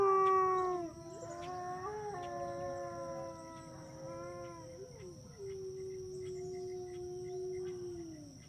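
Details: Several overlapping long howls from a wolf joining the pack chorus, held tones sliding slowly downward and layering together over the whole stretch, with a faint steady background tone.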